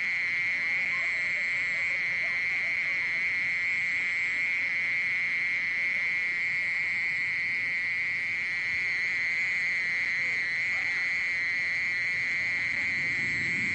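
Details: Long sustained song of a mole cricket: an even, high-pitched purring trill that never breaks, with a faint low rumble of background noise toward the end.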